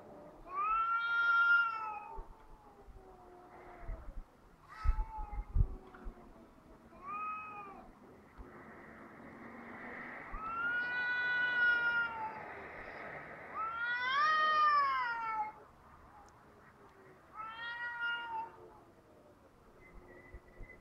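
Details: Pair of cats in Heerenveen trading loud, baby-like crying wails outside; several long arched yowls rise and fall in turn, each lasting one to three seconds, separated by quiet pauses and a few thumps.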